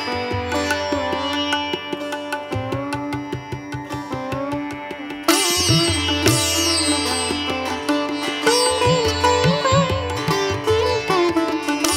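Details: Plucked sitar-like string music with rhythmic low drumming plays throughout, growing brighter and fuller after about five seconds.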